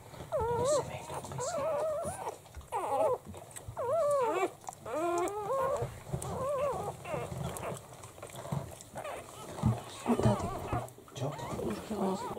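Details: Litter of seven newborn Italian Greyhound puppies, one week old, in their first week of life; high wavering squeals and whimpers in quick bursts, several pups overlapping, with faint human voices in a small room.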